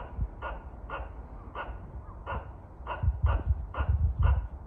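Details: A squirrel threatening birds at a shrine, Kawazu, Shizuoka: eight rasping barks at a quickening pace, accompanied by heavy low thumping and rumbling in the second half.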